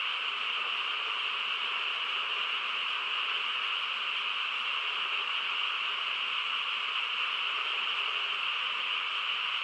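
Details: Frogs chorusing through a calm countryside night: a thick, continuous drone of massed calls, a strong buzzy band over a quieter lower layer, with no gaps or distinct individual calls.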